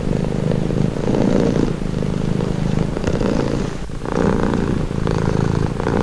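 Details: Calm cat's purr, a throaty pulsed rumble alternating louder and softer phases with each breath, a faint click midway, otherwise quiet surroundings.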